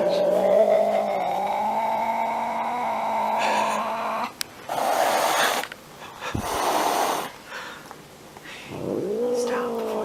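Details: Angry domestic cat giving a long, drawn-out wailing yowl for about four seconds, then bursts of hissing and spitting, and a final rising whine.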